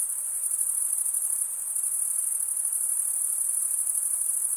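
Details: Crickets chirping; males make the sound by stridulation, rubbing one wing's toothed vein against the other. A steady, very high-pitched shimmering trill with fine rapid pulsing runs unbroken throughout, with no other sounds.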